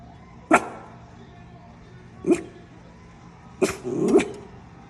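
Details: Paisley, a female miniature schnauzer, protecting her turf: three sharp barks at uneven intervals, the last a doubled bark with a brief yelping tail.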